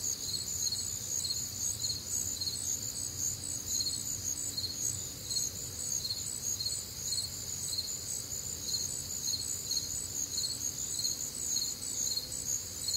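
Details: Nocturnal cricket chorus recorded on a humid, warm Midwestern summer night; shrill pulsing chirps about twice per second, several insects overlapping at different pitches, with a quiet low rumble underneath.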